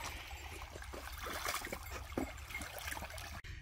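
Trickling, splashing water with scattered clicks and rustles, and no clear animal voice.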